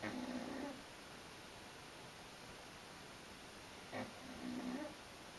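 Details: Burley, a worn-out female dog, sleeps and snores: two soft, breathy rasping snores with a low hum, about four seconds apart, in a quiet indoor setting.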